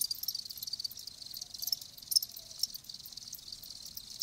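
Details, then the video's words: Live crickets chirping as a natural-sound recording; dense high-pitched trilling chirps form a steady shimmering chorus with irregular louder pulses, no other clear sounds. "Live Crickets 60min "Natural Sound""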